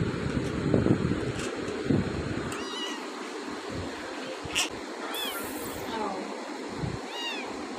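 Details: Pet cat meowing, described as very cute with beautiful eyes; several short, faint, rising-falling harmonic meows spread across the recording over a steady background hum, with low thumps and handling noise near the start.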